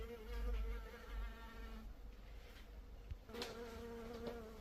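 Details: Honey bee buzz: the droning hum fades out around two seconds and returns strongly after three. A low rumble, like wind or handling noise, is heavy in the opening second and a half.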